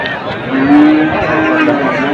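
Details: Holstein Friesian heifers offered for sale at Ambari market; one long, steady, low moo holds for over a second beneath a dense murmur of crowd noise and market bustle.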